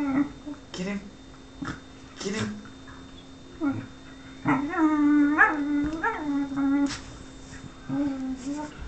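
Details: Whippet named Lux whimpering for the affection of Sophia, who plays hard to get; a run of high, drawn-out, quavering whines, some bending upward, between short yips, over a steady electrical hum indoors.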